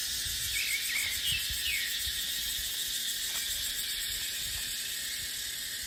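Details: Dry-season cicada chorus in dry dipterocarp forest. A steady, sizzling high drone holds throughout, with faint short chirps early on and soft gusts of wind low in the background.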